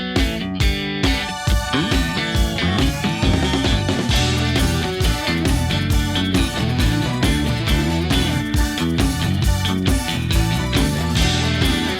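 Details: Rock music with strummed guitar and a steady beat plays throughout, with no animal call heard.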